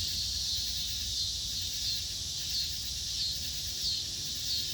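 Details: Dusk chorus of insects, a continuous shrill buzzing wash, with faint thin whistled notes recurring about every half second to second over the top.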